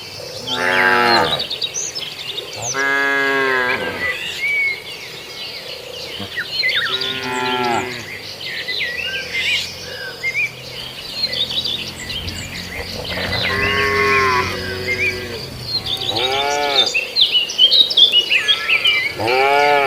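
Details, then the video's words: Tame herd of cattle roaming a field on the way to the barn, grazing: about six long, deep, harmonic-rich moos spaced irregularly across twenty seconds, some rising then falling, with bright bird chirps scattered in the background. "Kawanan Sapi Lucu Yang Jinak Berkeliaran Di Ladang Sedang Menuju Kandang l Suara Sapi Makan Rumput"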